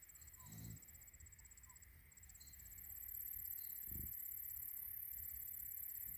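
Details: American bison (Bison bison) from a herd of 125 cow-calf pairs being moved onto a new pasture after rain give two short, deep, rumbling grunts a few seconds apart.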